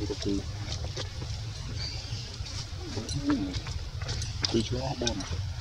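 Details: Jovi, a baby monkey left crying alone by its young mother Joyce, gives scattered short tonal whimpers and bending squeals a second or so apart. A steady low outdoor rumble runs beneath them.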